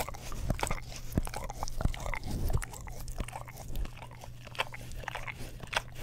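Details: English Cream Golden Retriever dog licking an Orapup tongue cleaning brush, close-miked in stereo: crisp, crunchy wet clicks at an uneven rhythm, roughly one and a half per second, over a low constant hum.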